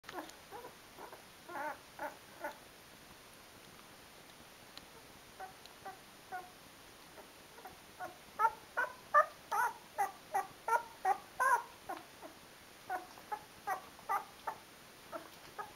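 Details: Twelve-day-old Rhodesian Ridgeback puppy Mister Grey, from a D-litter, struggling to use his paws: soft squeaky whimpers and little grunts in quick irregular series, building to a denser, louder run of squeaks midway before trailing off.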